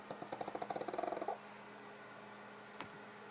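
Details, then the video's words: Pugs pooped after a family visit, Gypsy snoring while Otto lifts his head: a quick run of rhythmic, rattly snorts, about a dozen pulses in just over a second, then quiet room hum. "My pugs snoring"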